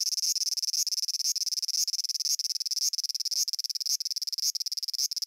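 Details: Cicada song from Japan, a harsh high rasping pattern of rapid pulses grouped into bursts about twice a second, each burst ending with a brief upward accent, repeated steadily throughout.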